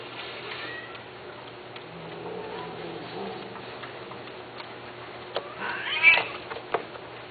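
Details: A male Persian cat offered for mating gives a short, rising-then-falling meow after several seconds of quiet room sound.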